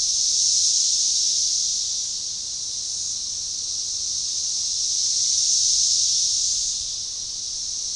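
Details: Synchronized periodical cicada chorus of Magicicada tredecassini at a forest edge along a baseball trail near DeValls Bluff, Arkansas, June 7, 2015: dense, high, hissing drone that swells and fades in slow waves, cresting twice.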